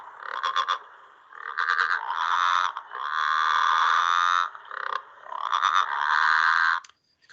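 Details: Southern bell or growling grass frog (Litoria raniformis) near Melbourne gives its advertisement call: long, rumbling growls that rise and fall like dirt bikes at night. It is a late-spring and summer caller.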